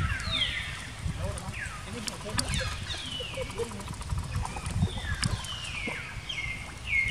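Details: Crying of baby monkey Jinx after an attack by Spring Monkey: high-pitched downward-sweeping cries in irregular clusters, some doubled, against low background rumble and scattered clicks.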